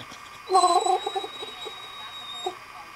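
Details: Asleep and noisy, the female pet dog Dolly lets out a short, wavering, gargling whimper that trembles briefly and then fades, with a faint electrical whine in the background.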